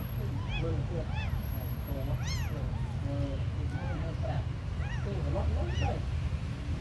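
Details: Several small abandoned kittens mewing in quick, arched, high-pitched cries, some overlapping, with a constant low droning hum underneath.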